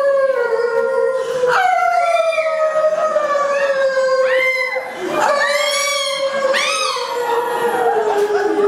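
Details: Chihuahua singing along with its owner, giving a long, sustained, slowly falling tonal howl throughout, with brief higher rising-and-falling yelps breaking in at intervals of about one to two seconds.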